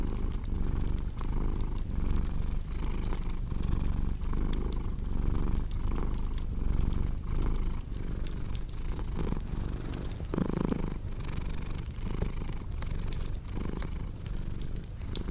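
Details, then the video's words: Continuous low purring from a cat, pulsing in slow breath-by-breath waves, mixed with frequent crackles and pops from a cozy fireplace and a brief louder scrape near the middle. "Purring Cat"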